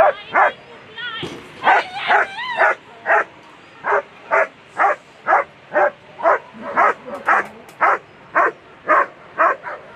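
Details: German Shepherd barking during an agility run at a World Championship, A2 Sunday round: steady sharp barks about twice a second, with a few louder, more ragged barks early on and brief human calls of encouragement.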